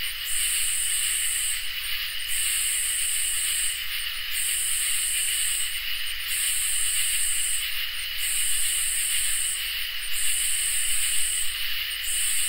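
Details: On a summer night, crickets and katydids produce rhythmic, scratchy high-pitched bursts, about six in twelve seconds, separated by brief gaps, over an unbroken shrill trilling and a quiet low hum.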